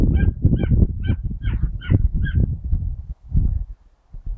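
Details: Mota the teckel, trained on a rabbit on 19/08/2012, barks as it presses the quarry to show itself. About six yelping barks arrive roughly every half second over loud low-pitched rustling and thumping.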